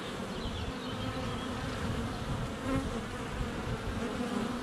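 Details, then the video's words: Honey bees buzzing at the hive entrance on a sunny February day, softer and more distant-sounding here; a low, steady droning hum with faint high chirps in the background. "4K Honey Bees - ambient video and audio"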